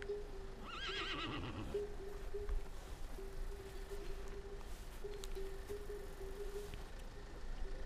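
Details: Horses in the Pyrenees of Catalonia, recorded with a GoPro: one quavering whinny of about a second, wavering and falling in pitch, followed by faint rustles, with a steady low hum running throughout.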